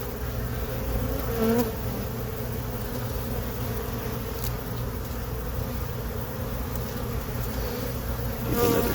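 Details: A colony of honey bees that settled into a hive box on April 29, 2022, droning during an inspection. Their continuous low, even buzz carries through, with a couple of faint brief clicks.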